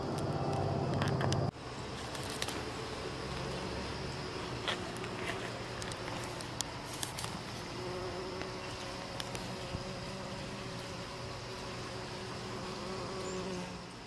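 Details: On October 11, 2018, a bumblebee at a spotted jewelweed (Impatiens capensis) flower makes a low, steady droning wing buzz over soft outdoor background noise.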